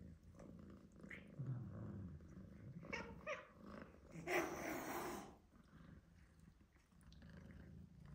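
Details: Two domestic cats, a black-and-white shorthair adult male and a young British Shorthair male kitten, in an escalating standoff; low rumbling growls, then a sharp breathy hiss lasting about a second, then more low growling.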